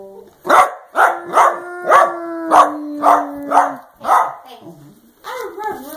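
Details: Dachshund giving its affectionate 'love you' sounds: a series of about eight short, evenly spaced yipping barks, roughly two per second, over a steady low tone, then a softer wavering moan at the end.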